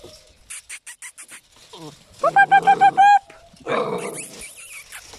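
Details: Eight-week-old puppies, offspring of the mother dog Singer: a quick run of about six bright, tonal yips in one burst, framed by soft rustling and scattered clicks.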